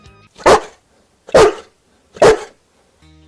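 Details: A Newfoundland dog, a breed that rarely barks, gives three deep, booming, full-throated barks evenly spaced just under a second apart; soft background music briefly before and after.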